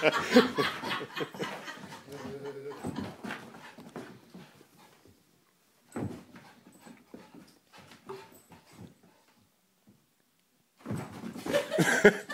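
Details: Matilda the cow dog meeting her new cousin Willow indoors: short whimpering whines with a brief tonal whine early on, panting and scrabbling paws in bursts, then a quiet stretch before lively scuffling returns, with laughter in the room.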